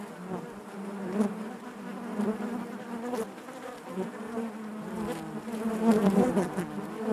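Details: Low, steady drone of honey bees within the hive, a softer colony hum with rich harmonics, occasional sharp ticks and louder passing buzzes toward the end.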